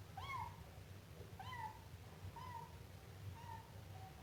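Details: Siamese kitten meowing: four clear, high, slightly falling meows with bright overtones, spaced about one per second and fading towards the end, over a low steady background hum.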